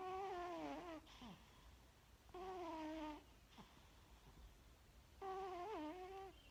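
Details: Cat asleep in a dining room makes three drawn-out, wavering, groaning snores about two seconds apart, each with strong harmonics and a wobble in pitch.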